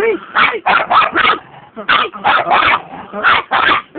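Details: Chihuahua yapping in two quick bursts of short, shrill barks, three to four barks each, with a brief pause between the bursts.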